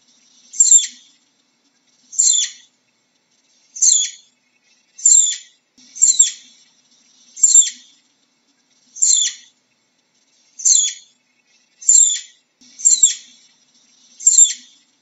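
Short, very high-pitched chirps from a flying squirrel come one at a time, each a quick bright squeak. They repeat at a steady but slightly uneven pace against a quiet background.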